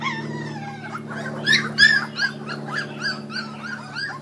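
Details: Several Kuvasz puppies from 2013 feeding on raw food let out a long wavering whine, then quick repeated squeaks and yips over a constant low mechanical hum.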